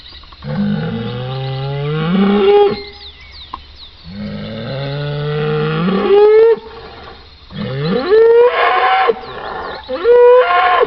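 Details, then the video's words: Cattle bellowing: a deep, drawn-out moo that climbs in pitch toward its end, followed after pauses by three shorter, higher rising calls, each strongly harmonic and loud. "BOI BERRANDO | SOM DE VACA | SOM DE BOI | TOURO BERRANDO | BOI MUGINDO | VACA MUGINDO - SOUND OF COW"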